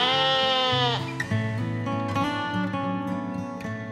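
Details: Goat giving one long, wavering bleat with a strained, nasal tone that lasts about a second. Steady background music with plucked guitar-like notes continues throughout.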